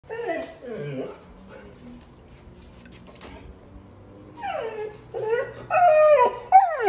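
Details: Australian Shepherd Collie mix dog whining on seeing his father on a computer screen; rising and falling whines in bursts at the start and again toward the end, with a quiet pause between.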